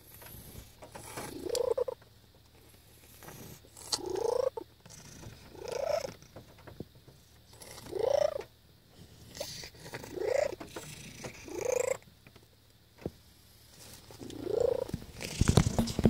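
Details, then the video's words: Domestic cat Thumbelina purring very loudly: a rough, throaty purr swelling into strong, rising-and-falling surges about every two seconds, with quieter rumbling between bursts and a brief scuffle at the end. "My Cat's Record Loud Cat Purr (Loudest Purr Ever)"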